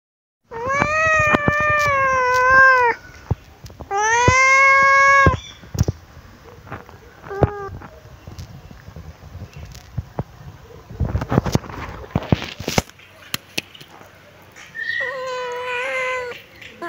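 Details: Pet kitten meowing while sunbathing in its favourite place: two long, strongly harmonic meows of about two seconds each, then a short faint mew, clicks and rustling, and a final wavering meow near the end.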